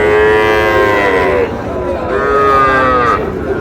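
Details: Sahiwal cattle at a cattle market near Pabna during bargaining over a Sahiwal bull calf: two long, rich, harmonic moos, the first about one and a half seconds and the second slightly higher, over steady crowd noise.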